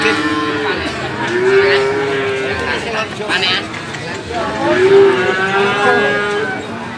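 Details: Two long, even moos about three seconds apart from male calves at a cattle market in Magetan, East Java, Indonesia, February 2019, heard over a steady hum of voices and market activity.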